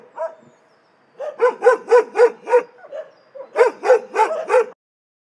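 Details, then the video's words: Barking dogs in an animal shelter: one short bark, a second of quiet, then two rapid bursts of five harsh, evenly spaced barks each, ending in silence. "Szczekające psy w schronisku"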